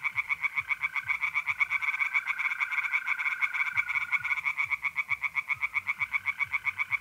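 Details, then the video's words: Night chorus of tree frogs in a north-east Italian pond in mid-April, with rapid, evenly pulsed rasping croaks repeating about four times a second throughout, while a smooth, continuous mole cricket trill sounds underneath for part of the time. "relaxing singing tree frogs in pond"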